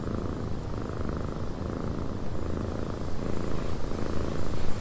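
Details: Purring cat in a cabin with wind outside. A deep, even rumble pulses without a break, growing slightly louder toward the end, with a faint breathy wind wash behind it.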